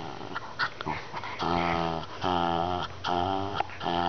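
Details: Shetland Sheepdog making funny talking noises, drawn-out harmonic groaning yowls in bursts of about half a second to a second, repeated several times, with a person urging it on in the background.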